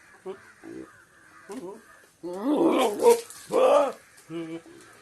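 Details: Goat. A goat bleats in harsh, quavering bursts, two long loud cries wobbling up and down in pitch. Shorter, softer nasal calls come before and after, with a quiet indoor background.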